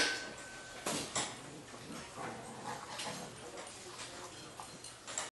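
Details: A black-and-tan Jindo dog and a Jindo puppy play roughly in Jeonju, North Jeolla Province, Korea, giving soft whimpers and sharp little yips amid scuffling noises.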